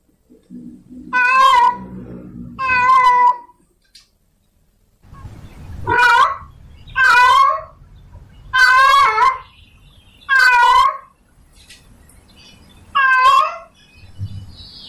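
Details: Male domestic cat in heat calls for a female with a series of short, rising, strained meows in two bursts, over low background rumble and faint noises.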